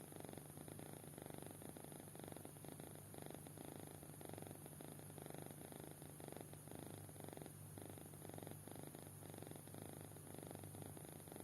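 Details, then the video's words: Kitten in deep sleep giving a soft, rhythmic purr-like snore, breaths pulsing about once a second for the whole stretch, with a steady low hum behind. "Anak Kucing Tidur Pulas Sampai Ngorok"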